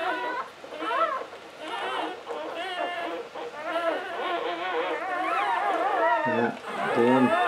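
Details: English Springer Spaniel whelping her first litter of nine, around the seventh puppy's birth; high, wavering whimpers rise and fall in short arched bursts, overlapping with quiet human talk.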